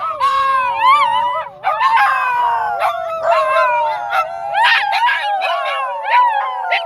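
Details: Several dogs at a dog park in Dunedin howl together with a person coaching them: long, steady, tonal howls held on overlapping pitches, with higher wavering yips and warbles layered on top, brief gap near the middle.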